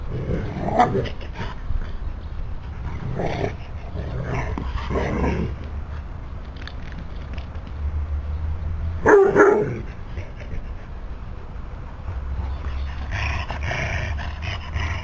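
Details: Otterhound puppy Biggles romping in the garden of his new home with Hope and visiting friend Fellow; rough growls and short barks in scattered bursts over shuffling play noise, with brief human voices.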